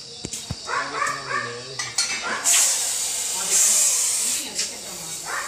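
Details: Dangerous Russell's viper caught from inside a house in Kadi: a loud, breathy, steady hiss lasts about two seconds in the middle, with a shorter burst after it, framed by people talking before and after.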